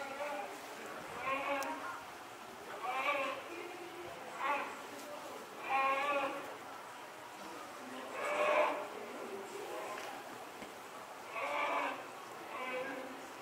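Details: Young polar bear cub born December 2021, with its mother at Asahiyama Zoo, Japan, in June 2022, calling, thought to be asking for milk: nasal, bleating cries about every one and a half seconds, with faint background chatter.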